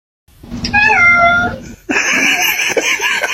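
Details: Domestic cat giving one short, clear meow that holds steady and drops slightly at the end. A burst of broad noise follows.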